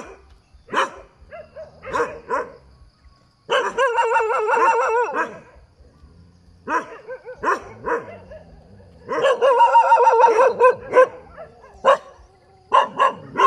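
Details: Dog barking by a roadside: short harsh barks in irregular clusters, with two longer stretches of rapid, tonal, howling-like barking, loud and close.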